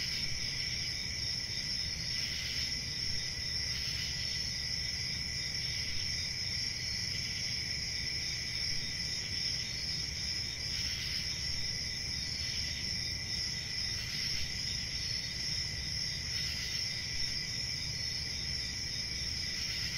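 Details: Continuous cricket chirping, a shrill high-pitched trill held steadily throughout with a second lower band, softly pulsing in places, above a low rumble.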